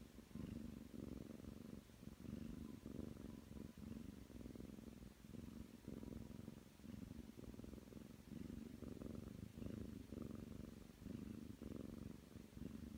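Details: Steady, throaty purring from a nine-month-old Ragdoll kneading on the bed, continuous low buzzing rising and dipping in regular breath cycles, close and clear over faint room hiss.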